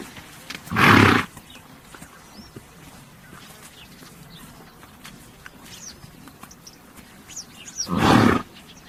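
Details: Horse making two loud, rough, blowing bursts roughly seven seconds apart, each under half a second, with sparse bird chirps in the quiet gap between them.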